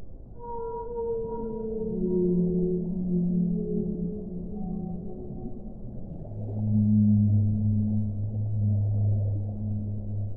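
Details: Layered whale song. Higher drawn-out harmonic wails open the passage and slide downward, then a deep, loud, sustained moan swells and holds to the end beneath soft water noise.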